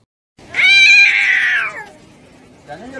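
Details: Kitten giving one long, loud meow that starts high and slides slightly downward over about a second, then trails off; quiet background with a faint rustle at the end.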